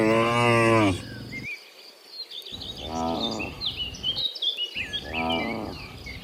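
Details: Morning scene as cows return from the field to the barn: one loud moo at the start, then two fainter, distant moos, with busy bird chirping throughout.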